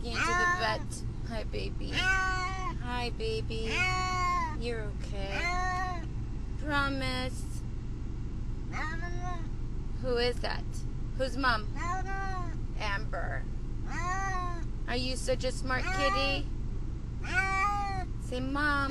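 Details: Domestic cat, Brutus the Beefcake, distressed in a car on the way to the vet, calling out in long arched meows that rise and fall, many in quick succession, with a person talking soothingly over a low engine rumble.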